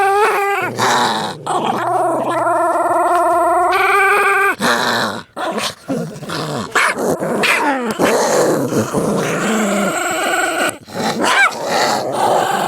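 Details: Two pet dogs fighting, as they often do: loud, sustained snarling growls with harmonic whines and yelps, bursts broken by brief pauses, continuous and intense throughout.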